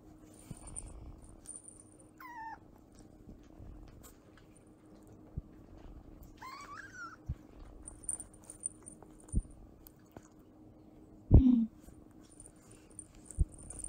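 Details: Affectionate fennec fox kit around two months of age gives two brief, wavering, squeaky whines several seconds apart, then a low scuffling noise over faint room hiss.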